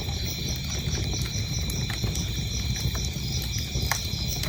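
Crickets keep up a steady, high, ringing trill behind the crackle and pop of a burning fire.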